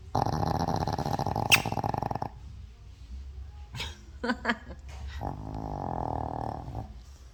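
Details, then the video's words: Thirteen-year-old Shih Tzu snoring loudly in deep sleep, likened to the sound of digging: a rough, buzzy, rapidly pulsing snore for two seconds, a few short snorts, then a smoother droning snore. "시츄 코골이~~시끄러운데 귀여워"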